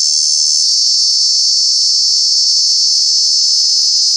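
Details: Cicada calling in Kanha National Park during the summer months, a loud continuous high-pitched buzzing drone held steady throughout, with a slight shift in tone early on.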